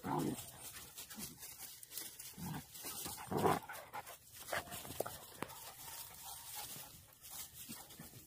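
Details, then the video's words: Hunting dog during a wild boar hunt, described as a single-voiced barker; a few short, sharp barks come at irregular intervals against soft rustling and faint background noise. "멧돼지 사냥 단성개"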